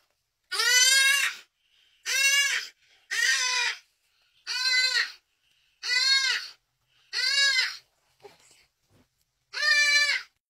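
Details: An impala crying out as it dies during a predator attack. Loud, nasal bleats of about three-quarters of a second each. Each rises and then falls. Seven cries, spaced about every one to one and a half seconds, with silence between them.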